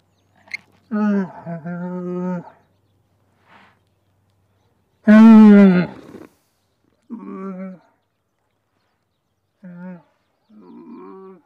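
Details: Camel grunting in a series of low, rough, harmonic groans, some drawn out for over a second and one loud rising bellow, separated by short silences.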